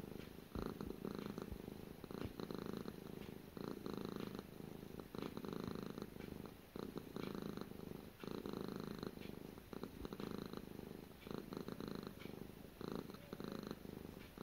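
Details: Continuous close purring from the house cat Gara, a deep even vibration rising and easing with each breath, some soft rustles, no other voices.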